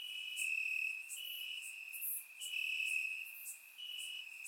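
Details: Crickets chirping in the grass at night on a warm summer night in Bulgaria, recorded with a surround microphone; a steady high trill with pulsed bursts roughly every second, several insects overlapping.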